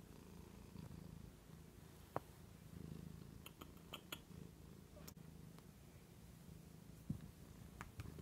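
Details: Pet cat lying on a couch arm indoors, giving a continuous deep rumbling purr with an even, throbbing rhythm, broken now and then by faint sharp ticks and small movement noises.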